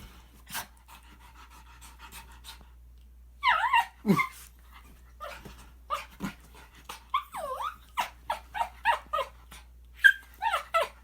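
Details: A male Shih Tzu, prompted by his owner, makes odd whiny yelps and grumbling vocal noises in short, irregular bursts.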